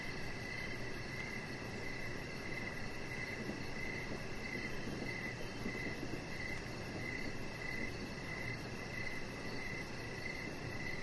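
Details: Crickets singing in the evening beside a deck, repeating short shrill chirp bursts at a steady pace for the whole stretch, layered over a rapid faint high trill and a continuous low background drone.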